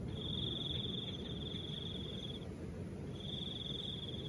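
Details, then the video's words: Cricket calling with soft wind: a steady high-pitched trill held for about two and a half seconds, a short pause, then the trill resumes, over a low rumbling wind noise. "Crickets and the sound of soft wind"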